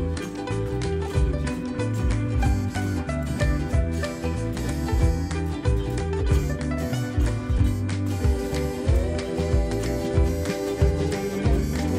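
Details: Upbeat guitar-driven country-style music plays throughout, with no barking or other animal sounds.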